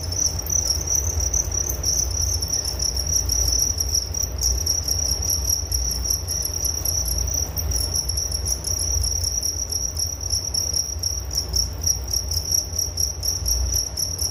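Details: Crickets give a dense, shrill trilling chorus, unbroken and even in pitch, recorded as a soothing sleep sound, with a low murmur of background noise beneath.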